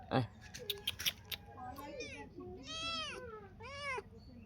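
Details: A newly arrived guest cat indoors gives two drawn-out, arching meows in the second half, after a run of tapping clicks and a brief soft human voice.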